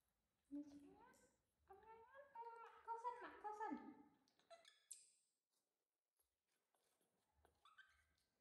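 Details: Baby monkey crying loudly for its mother's attention: a run of harmonic, wavering wails rising and falling in pitch over about four seconds, then a pause and a few fainter, higher squeaky cries near the end, in a quiet indoor setting.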